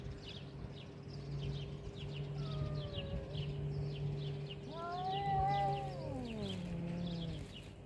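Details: Cats fighting, one eventually backing down: a faint short wail, then a louder rising-and-falling yowl sliding downward at the end, over a steady low hum and faint rapid high chirping in the background.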